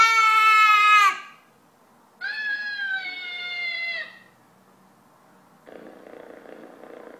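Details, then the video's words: A cat meowing over an iPad while a baby talks with it: two drawn-out, harmonic meows, the first about a second long and slightly falling, the second steadier and longer, followed by a short burst of soft, noisy sound. "Cute baby talks with cat on iPad"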